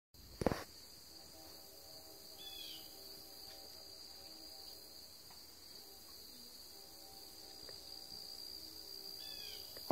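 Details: Crickets on a September 13th afternoon, Thursday at 2:40 P.M., give a steady high shimmering trill. An extremely distant train horn, possibly CSX, about 2 miles away, sounds as a low sustained tone through most of the recording, with a few faint bird chirps.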